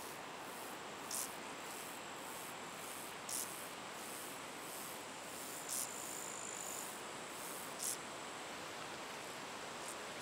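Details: A common field grasshopper in Estonia in August 2012 gives short, dry, scratchy chirps repeated about every two seconds.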